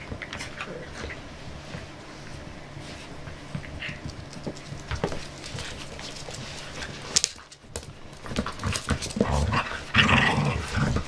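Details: A five-month-old puppy at play indoors, making soft whimpers and panting noises amid scuffling, with a burst of louder yelps and rustling toward the end.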